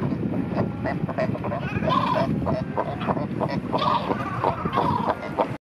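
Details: Kayak-level recording of fur seals at Pelican Point, Walvis Bay, Namibia, during a time when many pups had just been born; quavering, goat-like bleats rise over a rough background of many other seals calling.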